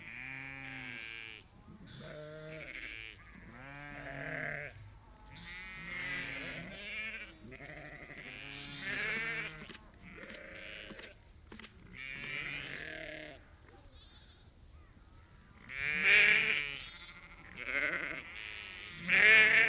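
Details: Chorus of about 30 to 50 ewes and lambs communicating on a sheep farm; overlapping wavering bleats follow one another almost continuously, deeper and higher voices mixed, with several louder harsh calls near the end.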